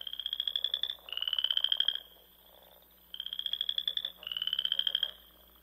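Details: Frogs calling in spring around the small lakes of Nebraska's Sandhills at dusk: four high, rattling trills come in two close pairs separated by a quiet pause.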